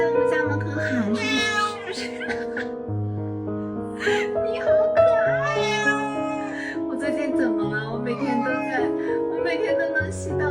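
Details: Pure white cat with odd-coloured eyes lies at a house gate, friendly, meowing nonstop. Drawn-out rising and falling meows come every few seconds over a steady music background.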